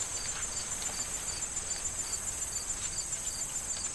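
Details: Crickets in a corn field in autumn before harvest, wind rustling the corn stalks; short high chirps repeat steadily about twice a second over a continuous high insect trill and soft rustling.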